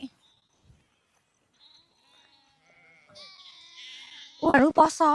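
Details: Quiet people's voices and faint background murmur lead into two or three loud, shaky sheep bleats bunched together in the final second.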